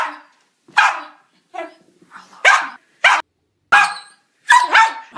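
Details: West Highland White Terrier letting out quick, high-pitched yapping barks in an irregular run. A few softer yips come between the louder, sharper ones, ending in a doubled bark.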